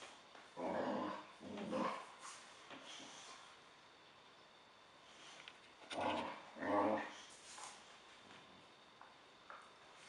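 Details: Boxer playing with another dog, making low, grumbling talk-like vocalizations in two short bursts near the start and two more around six seconds, with quiet gaps between and faint background hiss.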